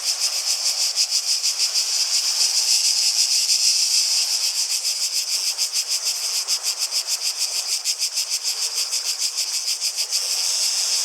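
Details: Cicadas droning outdoors, a piercing buzzy whirr with fast rhythmic pulsing that grows more distinct in the second half, constant level, no other clear sounds.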